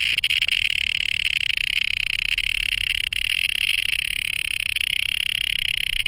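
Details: A male cicada, a day-calling insect about an inch long, gives a loud, steady, high-pitched buzzing drone by day; the sound spreads in waves across the whole forest.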